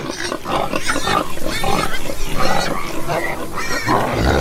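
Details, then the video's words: Deep, rumbling pig grunts dominate, low and throaty, with a few higher nasal oinks drifting over them and a louder grunt toward the end. "Ouça o som dos porcos - Porco - porco roncando - som do porco"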